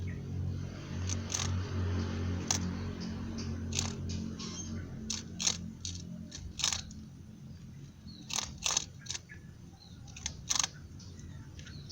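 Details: Sharp, irregular crunching crackles, like crackers being bitten, come roughly twice a second over a low steady hum, with no animal calls heard.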